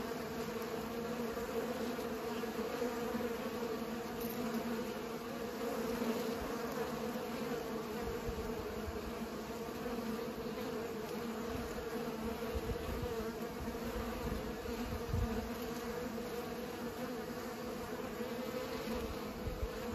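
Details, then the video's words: A steady chorus of pollinating bees hums without a break, a low, thick buzz with a clear overtone and occasional faint low knocks underneath. "Bees pollinate"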